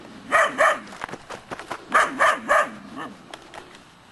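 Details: Three-month-old Belgian Shepherd Groenendael puppies from one litter bark at an unseen stranger, showing guarding instinct. Sharp, harmonic yapping barks come in pairs and a triplet, with rustling and scuffing between bursts.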